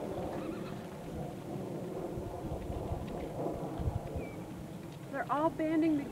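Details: Wild horses at Fish Springs banding together after racing toward water; a wavering, quavering neigh with stacked harmonics rises near the end over a low rumble of hooves and wind.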